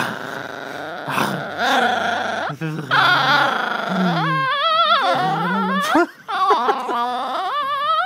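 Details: A Chihuahua repeatedly tries to bite the camera, growling and snarling in bursts, its voice rising into whiny, yelping tones.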